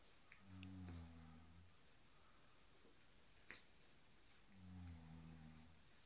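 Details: Cairn Terrier playing with a cushion indoors: two low, droning, harmonic growls, each about a second long, about four seconds apart, with a faint click between them.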